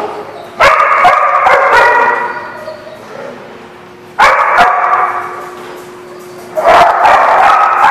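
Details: Dogs barking, recorded 4/10/17: three loud bursts of harsh, overlapping barks and yips start near 0.6, 4.2 and 6.6 seconds, each trailing off into a quieter, echoing murmur.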